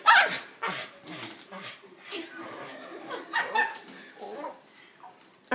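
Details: Annoyed Boston Terrier in a living room reacting to a yellow balloon: loud yapping barks open the clip, then scattered shorter yips and whines mixed with people talking and urging the dog on.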